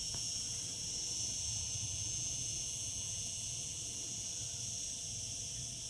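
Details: Summer chorus of cicadas, a continuous shrill hiss-like buzz that never pauses or changes pitch, over a soft low background hum.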